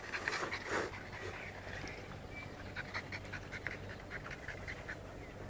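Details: Dog from a comparison of American Bulldog, French Bulldog and Bull Terrier, panting in quick breathy bursts, loudest in the first second, then softer rhythmic huffs over a steady low background hum.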